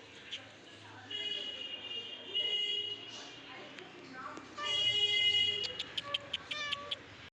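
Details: A pet cat at home, coaxed down from a height by its owner in Bengali; bright harmonic meows around 1.1–2.5 s and 4.6–5.5 s, with short clicks and talking between, faint music underneath.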